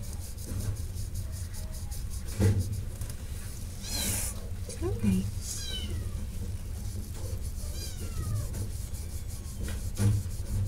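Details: Shelter cat meowing: a few drawn-out calls with downward-sliding tones around the middle and again later, set against a constant low hum, scattered clicks and faint background voices.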